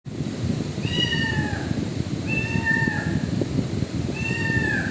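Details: Kitten in a shop area meowing three times, roughly every one and a half seconds, each cry a drawn-out falling mew over a steady low rumble of background noise.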